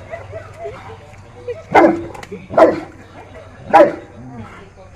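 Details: St. Bernard dog giving three deep, separate barks spaced about a second apart over soft background music.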